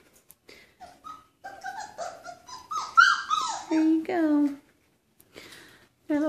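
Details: Chocolate Labrador Retriever puppies indoors, eating solid food and drinking from a water bowl, give high whining whimpers and squeaky yelps that rise and fall, some longer drawn cries, while a woman talks to them.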